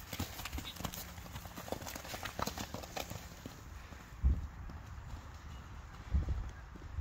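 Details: Friesian horse hooves on a farm, where mares are put to work: soft, irregular clip-clop strikes, roughly one every two seconds, with a few heavier thuds near the end, over a steady low rumble.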